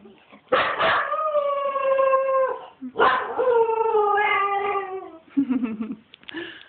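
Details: Male pet dog playing wildly, another dog later trying to mount him: two long, sustained howls, each opening with a harsh bark-like onset and slowly sliding lower, then short yips.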